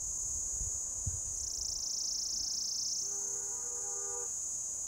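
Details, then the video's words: Mating call of an orange cicada on a lichen-covered deodar tree trunk in Jabbarkhet forest, Uttarakhand, India: continuous piercing high-pitched drone dipping lower in the middle, then climbing back, over faint low knocks and thin tonal hums. "Orange Coloured Cicada belts out mating call from tree trunk"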